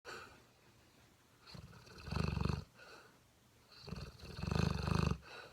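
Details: Dentéa, a seven-month-old male Mastiff puppy, snoring while asleep: two long, low, rasping inhalation snores, each about a second long, separated by quieter breathing.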